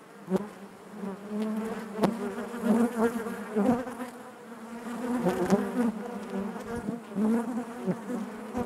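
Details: Buzzing of a honey bee colony inside its hive: a low, constant drone with rich overtones, broken by frequent short clicks and knocks as loudness rises and falls in waves.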